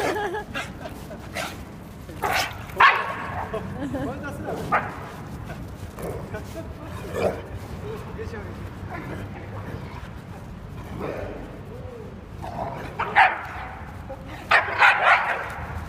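An Akita growls and yips in short bursts during rough play, with human laughter and voices mixed in.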